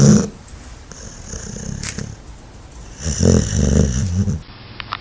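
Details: Dog sleeping with low, soft breathing, then a louder gurgling, rattling snore lasting over a second, fading back into quiet breaths.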